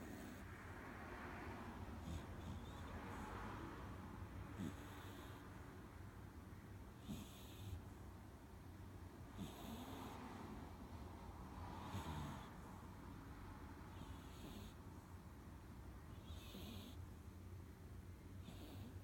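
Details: Sleeping three-month-old Chihuahua/Jack Russell cross pup named Blessie, a female, snoring like a grown man: a long run of soft, airy snorts roughly every two to three seconds, some with low rumbles, over a constant low hum.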